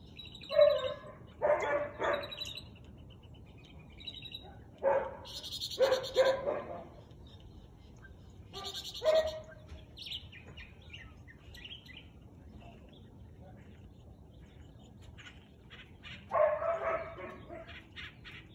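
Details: Siberian Husky barking at 4:17 pm on 13 March 2021: harsh, harmonic barks and drawn-out yelps in separate bursts near the start, around five to six seconds, at nine seconds and near the end, with quiet gaps and faint high chirps between.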